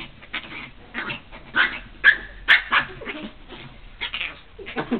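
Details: Dog giving short, sharp yipping barks in irregular bursts, several in quick succession around the middle, then scattered further yips; faint background rustling between calls.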